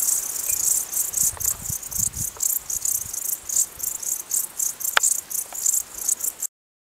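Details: Crickets heard in the mountains, giving shrill pulsed chirps in quick rhythmic bursts, with a sharp click near the end before the sound stops abruptly.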